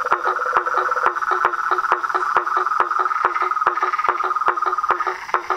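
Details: A dense frog and toad chorus: rapid, overlapping clicking pulses, two to three per second, ride over an unbroken ringing trill.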